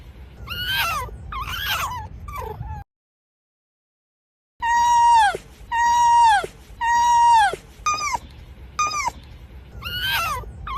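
A fox gives a series of high, whining calls, some held steady before dropping sharply in pitch.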